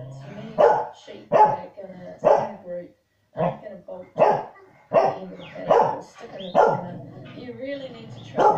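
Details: Two corgis at home bark excitedly at herding dogs working stock on TV; loud rhythmic barks repeat about once a second with a brief pause midway, and faint television sound hums behind them.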